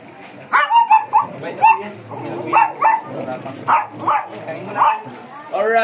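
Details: Fierce Shih Tzu in Pangasinan being groomed, giving short sharp yipping barks in bursts about every half second to second, each with a bright ringing tone, while a person talks over the grooming.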